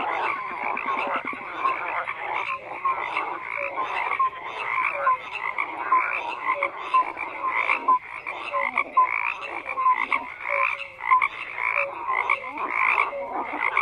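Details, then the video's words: Frogs in full chorus: overlapping rough croaks form a steady wall of sound, while brief pure piping notes recur every half second or so on top. "FROGS CROAKING"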